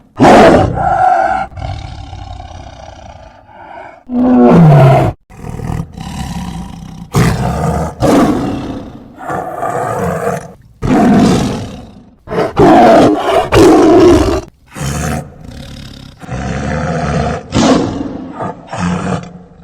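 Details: Tiger (Panthera tigris), roar.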